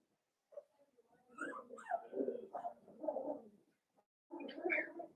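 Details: Blenheim Cavalier King Charles Spaniel puppies, one litter of five born at New Year's, in an indoor home puppy pen; overlapping squealing whines and whimpers rise and fall in a long burst, pause briefly, then resume.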